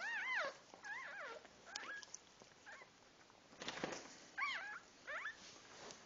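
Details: Newborn dog puppies just after birth give thin high rising-and-falling squeaky whimpers in short bursts, several overlapping, with rustling in the background.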